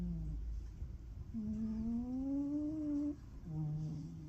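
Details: A sleeping Ragamuffin cat gives one long, nasal, rising tonal snore of nearly two seconds, framed by brief lower buzzy exhalations at the start and end.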